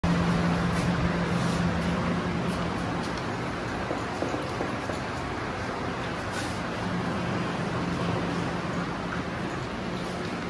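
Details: Continuous road traffic roars with a droning engine hum and passing vehicles, and no animal call stands out.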